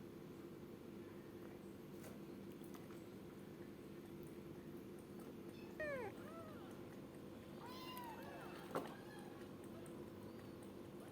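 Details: A kitten called gembul gives a high, sharp meow around six seconds in, then a longer pair of wavering, falling meows near eight seconds, over a steady low hum from the room.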